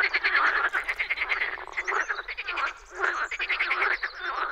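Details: Many frogs croaking together in spring at a wetland in the Czech Republic; rough, buzzy pulsed croaks pile up in bursts, with a brief lull near the third second before the chorus resumes.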